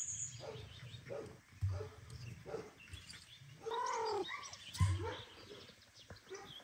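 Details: Domestic cat at home, the male returning after leaving the female Kira alone and asking her forgiveness; one clear rising-then-falling harmonic meow midway, with soft thumps, faint chirps and household noise around it.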